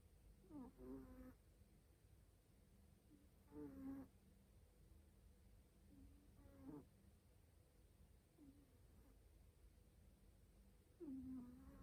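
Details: Domestic cat drifting off to sleep and snoring fairly loudly: soft, low, rasping snores recur roughly every three seconds over a steady quiet hiss.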